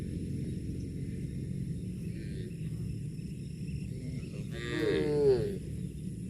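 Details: A cow gives one brief, falling moo over a steady low background rumble while eating grass; cow.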